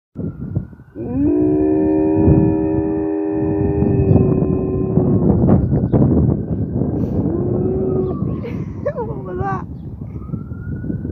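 A Siberian husky gives a long, steady, mournful howl in answer to a wailing siren.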